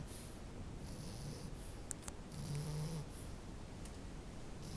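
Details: French bulldog puppy sleeping, with soft low snuffling breaths and one louder droning snore near the middle, plus a couple of faint clicks.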